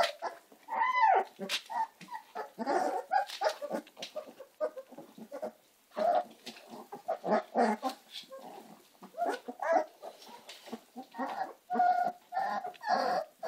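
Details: Several American Staffordshire Terrier puppies crying together, overlapping yelps, whines and short barks running almost continuously, with a few brief pauses in the chorus.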